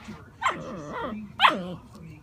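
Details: Alaskan malamute puppy giving two short yelping calls about a second apart, each starting high and sliding down into a wavering, grumbling whine.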